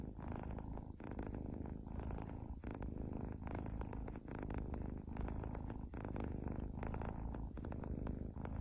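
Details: Domestic cat purring steadily, a low rumbling throb of fast pulses with dense low harmonics running throughout, from a compilation of pet cats.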